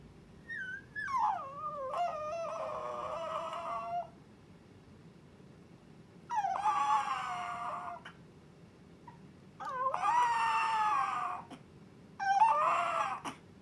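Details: Chihuahua puppy Milk giving her first howl, longing to see her owner right away; four drawn-out, fairly soft tonal howls that dip and waver, separated by pauses of a second or more in a quiet indoor room.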